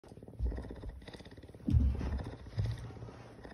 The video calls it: Cougar Purring! So Cute!